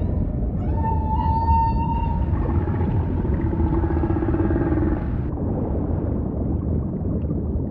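Humpback whale song: a sustained mid-pitched tonal cry, then a lower drawn-out moan over deep ocean rumble.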